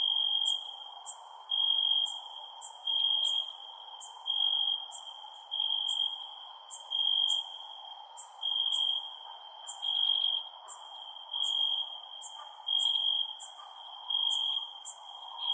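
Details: Cricket chirps at night, a thin high trill pulsing in evenly spaced bursts a little over a second apart, with crisp high ticks scattered above and a steady hiss in the background.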